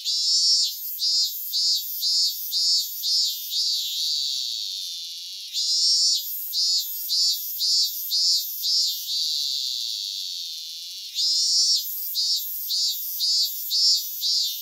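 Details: Cicada song from Japan: bursts of short, rapidly repeated shrill pulses broken by sustained high buzzing stretches, the pulsed phrases returning after each long buzz.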